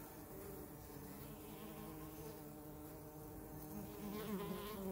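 Honey bees give a steady, low droning buzz that wavers and rises as they fly close.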